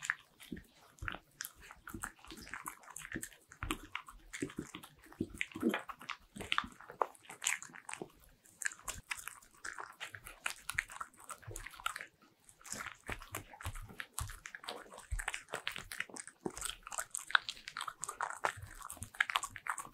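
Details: Bichon Frise dog eating butter-ring cookies indoors in a small room, a close-up real-sound recording: dense crisp crunches and biting clicks, steady wet chewing with brief pauses, no barking or other voices.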